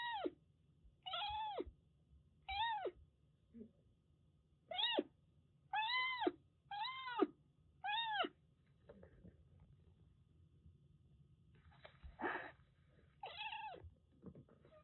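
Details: ['Young Siamese mix kitten taken in from stray life, calling indoors with a quick series of short, bright meows, several per few seconds, then a pause with faint rustling and a final meow over a low background hum.']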